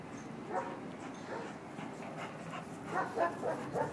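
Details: A Bull Terrier playing in Ecuador makes quick, uneven bursts of whiny yips and soft grumbles, clustered close together, over a low background hum.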